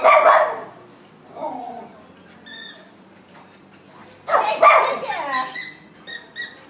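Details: Schnauzer giving two bursts of loud, rough barks, one at the opening and a longer one past the middle. Each is followed by trailing yelps and high, squeaky chirps repeated in quick sets.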